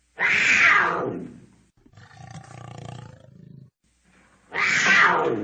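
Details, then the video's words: Cougar giving two harsh, screaming roars that open high and slide downward, with a softer rasping, rumbling sound in the pause between them. "Cougar sounds Cougar sound effects roar"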